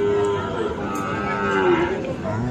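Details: At Aftabganj livestock market, Dinajpur, on 10 December, among Friesian and crossbred bull calves: one long, low, even moo lasting about two seconds, falling slightly at the end, with faint crowd voices behind.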